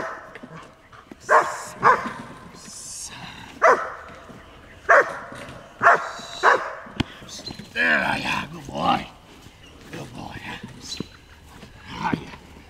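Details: German Shepherd Dog Rasky Anrebri, a Czech import, at bitework recorded June 21, 2011, after no bitework since 2008. Irregular single barks and a few harsher, drawn-out vocalizations, spaced unevenly, with a human voice audible in the background.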